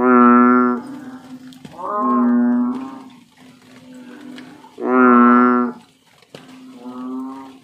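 An American bullfrog gives deep, droning, cow-like calls, each about a second long and repeated every few seconds.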